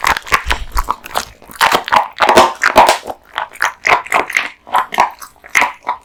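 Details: An American Bully dog, Kotetsu, male, crunching raw bones and meat indoors; loud crisp bites and cracking in quick succession, rhythmic chomps roughly twice per second with a brief low rumble early on.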